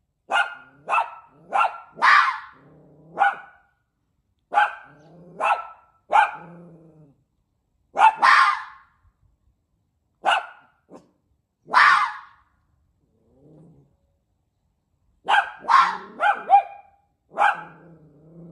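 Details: A red fox raised with a dog tries to bark, giving sharp, hoarse barks in quick bursts, several ending in a low rasping tail.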